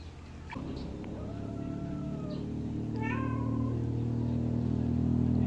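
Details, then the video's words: A baby kitten drinking milk lets out a single drawn-out high mew near the middle, over a steady low hum that slowly grows louder. "Help baby kittens drinking milk"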